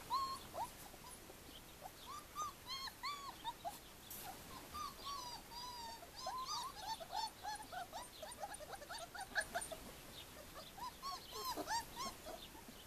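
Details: Callie's four-week-old puppies, "Formule 1" litter, whimper and squeal in a busy chorus of high, short, wavering cries.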